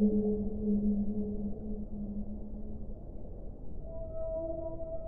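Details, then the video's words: Whale vocalizing in drawn-out low moans that fade midway, followed by a brighter, higher sustained note and a short mid-pitched tone, over a constant dull rushing background. "1 ora di suono delle balene"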